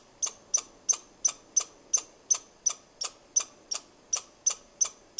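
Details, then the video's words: Squirrel directing chirps at the person filming: crisp, high, clicking chirps evenly spaced about three per second, clear and close against a quiet background. "Squirrel Chirping"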